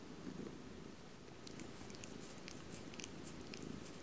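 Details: Domestic cat purring up close indoors: a steady low rumbling drone with soft pulsing texture throughout, plus faint scattered clicks and light rustling above it.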